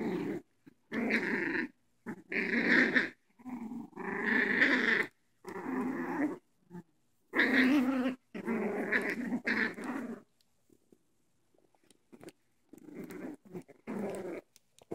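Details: Dogs playing together as youngsters with toys; loud, rough growls in bursts of about one to two seconds, repeated with brief pauses, fading to quieter scuffling before a final short growl.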